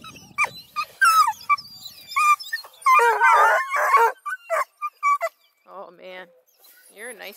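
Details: Hound pups of Bluetick, Redbone and Black and tan breeding near Kingston, Ontario, not listening to their mother: choppy yelps and a rough drawn-out bawl, followed by softer whining whimpers with faint background noise.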